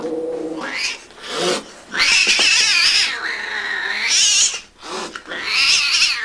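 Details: Domestic cat in a funny compilation, loud high-pitched caterwauling in long wavering wails that rise and fall, separated by short pauses.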